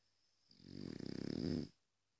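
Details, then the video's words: One snore from a sleeping French Bulldog, a rapid fluttering rattle that swells over about a second and then stops abruptly. "French bulldog sleep"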